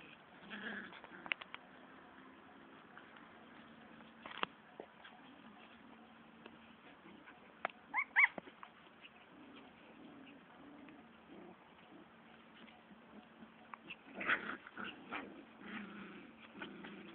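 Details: Several Siberian husky puppies in a fight give brief whiny yelps and squeals in irregular bursts, clustered near the start, middle and end, against a constant low hum and faint scuffling.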